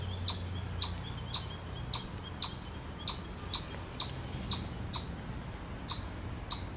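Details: Warning a predator, a chipmunk in Miller Park, Upper Arlington, Columbus, Ohio, USA, gives steady high piercing chips, about twelve in a row, evenly spaced roughly every half second.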